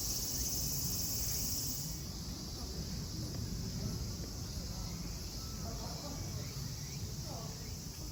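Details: Cicada chorus at Kozoji Temple (Takakura Kannon) in Kisarazu, Chiba prefecture, Japan: a continuous high-pitched whining drone, loudest at the start, with faint distant voices and low ambient rumble beneath.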